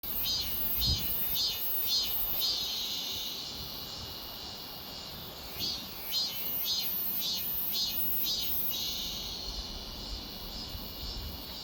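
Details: Cicada chorus, a dense buzzing drone high in pitch with loud pulsing bursts repeating roughly twice a second, fading and returning, over faint low rumble.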